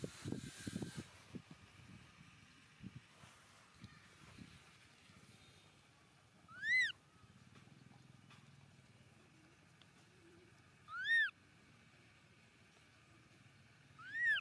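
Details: Baby monkey Momo crying loudly on rocks as its father leaves. Three loud, high, arched cries with bright overtones arrive at roughly four-second gaps late in the clip. Soft rustling and handling noise fill the start and the gaps.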